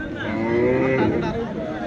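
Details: Cattle at a large cattle market on a high school field in Lakshmanpur. A short, full-throated moo swells and fades within two seconds against the murmur of people talking.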